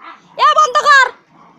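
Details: Puppies fighting: a short, high, strained whining yelp breaks into three quick pulsing bursts over about a second, with faint human voices before and after.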